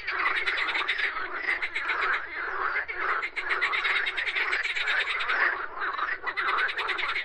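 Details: Many frogs croaking together in a dense, continuous chorus; rapid pulsed rattling croaks overlap throughout, with brief gaps near the end.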